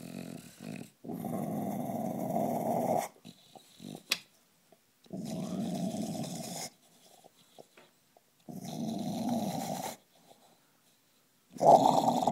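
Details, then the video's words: Bill, a bulldog, growls in four long rough, snorting bursts of about two seconds each, separated by short silences, with a bubbling low rasp that recalls someone drawing on a bong. "Bulldog sounds like he's hitting a bong"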